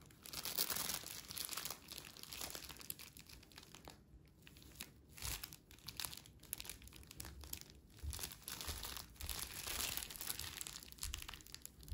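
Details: Soft crinkling and tearing of material in a small indoor room, rising and falling in bursts, with no animal voice heard.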